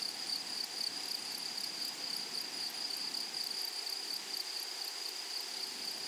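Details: Grasshoppers in a flowery meadow or prairie: a steady, piercing high-pitched trill holds without a break, with a fainter, faster pulsing buzz layered above it. No other clear sounds.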